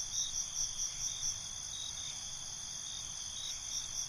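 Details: Crickets calling at night; a few quick high chirps at the start and end, steady shrill trill between, faint low ambient rumble.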